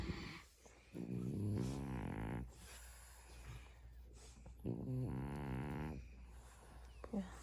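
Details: Dozing dog Mungchi, being tickled on the bottoms of its feet, answers with two throaty, rumbling groans each lasting over a second, separated by quiet breathing in a small room.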